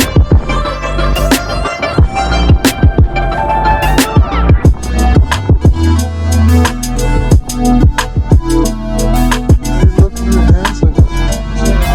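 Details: A hip hop beat with deep bass and sharp percussive hits plays throughout, and no animal sound is heard.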